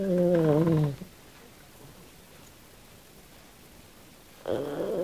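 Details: Kym, a female Australian Silky Terrier pet, sleeping and dreaming: one second-long droning, tonal snore that wavers slightly and drops at its end, then quiet, with another snore starting just before the close.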